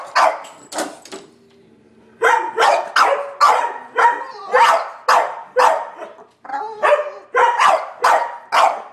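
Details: Barking at a squirrel on a wet March day, three dogs (Sheltie, Collie, French Bulldog) give loud clipped barks, roughly two per second. After a brief opening pair and a quiet gap, a steady run of barks follows.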